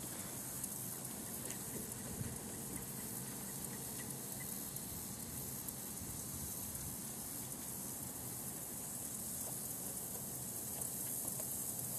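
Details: Continuous broadband hiss and patter like rain or crackling fill the whole stretch, with no animal calls standing out.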